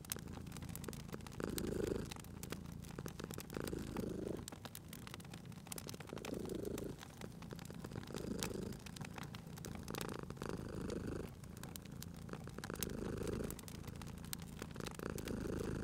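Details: Domestic cat asleep beside a crackling fireplace, spring ambience, purring. A deep, continuous rumble rises in louder phases roughly every few seconds as the cat breathes, with dense snapping and popping of the fire layered on top.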